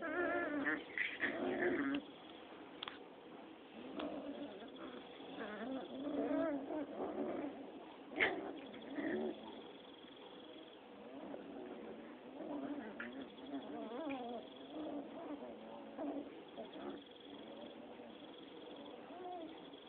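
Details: Six-week-old Rottweiler puppies play-fighting: overlapping rough growls, whiny yelps and squeals run throughout, busiest in the first two seconds, with a brief sharp peak near the middle and scuffling underneath.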